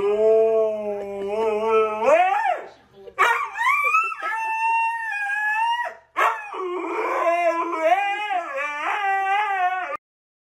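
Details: A pet husky practising its voice, giving long wavering howls and yodelling whines that rise and fall, with a sliding upward howl early on, a brief break, then warbling talking-like vocal runs.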